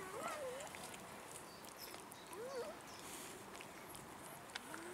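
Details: Begging for food, abandoned cats in a city park give two soft, bending meows a couple of seconds apart, then a faint low mew, over a quiet hiss of outdoor background.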